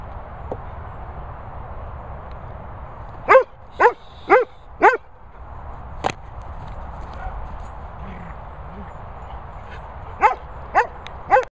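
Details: A Cavapoo named Teddy and German Shepherds Harley, Sophie and Toby at training and boarding kennels in the Worcestershire countryside bark sharply. Four quick barks come in a burst, then a lone bark, then another rapid run of four, all over steady hiss.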